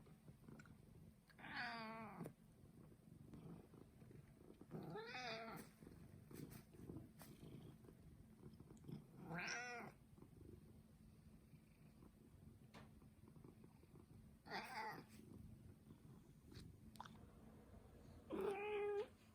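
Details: Pet Turkish Angora named Mū meows five times, each call short and wavering, spaced a few seconds apart over faint indoor background noise.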